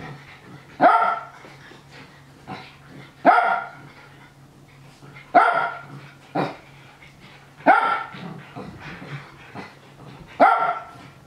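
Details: Japanese Spitz Nana happily eggs on the playful young dogs Ruru and Milmel. Six bright, punchy barks recur roughly every one to two and a half seconds, over faint rustling and a steady low hum.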